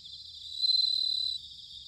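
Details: Autumn bell cricket recorded at Sanuki in Chiba, Japan, with a field recorder: one bright, high, finely pulsed ringing trill lasting roughly 0.7 seconds over a faint steady insect chorus.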